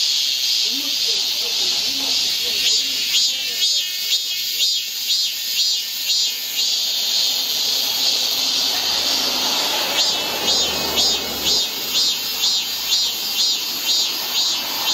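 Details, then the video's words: A shrill cicada drone on a hot midsummer day, pulsing steadily roughly twice a second for the whole stretch, with a brief faint rumble midway. "한여름 무더위를 식히는 시원한 청량제와 같은 매미 소리"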